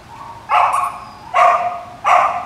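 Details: Samoyed dog giving three sharp, clear barks spaced under a second apart, each short and bright with a strong mid-pitched ring, quiet between them.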